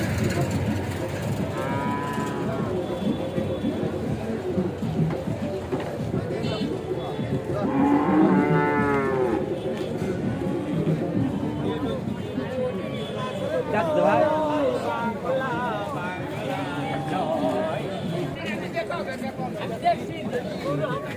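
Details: Cattle unloaded from a truck at a market in Bangladesh, lowing repeatedly; several drawn-out harmonic moos, some rising then falling, come every few seconds over a constant murmur of people and market noise.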